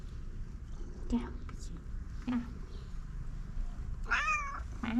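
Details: Pom pom, a cat living on the street, meowing constantly and insistently for food: short chirpy mews at intervals of about a second, then a louder wavering meow, then another brief mew, over steady low-pitched background noise.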